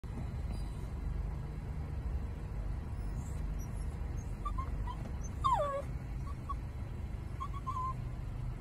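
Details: Dog whining: a few short, faint high whimpers, then one clearer whine sliding steeply downward, followed by brief thin peeps, all over a constant low rumble.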